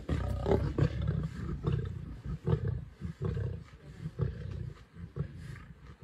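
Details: Nkuhuma pride lions feasting on a buffalo in Sabi Sands on 24 December 2023 give deep, throaty growls. The growls come in pulses of about one every second, with short quiet gaps and faint rustling between them.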